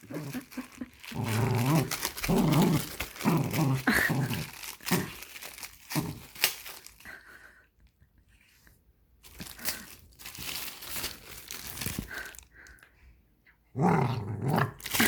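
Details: Nine-year-old Dachshund at play, tugging on a plastic bag indoors: rumbling growls rise and fall in several low bursts, mixed with crunching, tearing plastic and quiet gaps between pulls.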